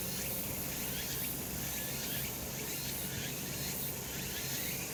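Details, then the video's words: Cicada chorus in a sunny spot on a summer mountain, a constant high buzzing drone with faint repeated pulses and a muted low-frequency hum. "セミの鳴き声 夏の山 日なた"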